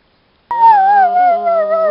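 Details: Chihuahua howling: one sustained, clear, tonal wail that starts abruptly and slowly glides downward, with a brief wobble midway, in a quiet setting.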